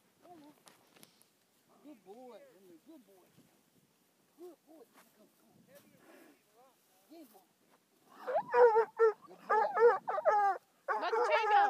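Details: A five-month-old Bluetick Coonhound meets his second raccoon, which was later set free unharmed. Soft, scattered low sounds for the first eight seconds, then loud, harmonic bawling barks in quick bursts until the end.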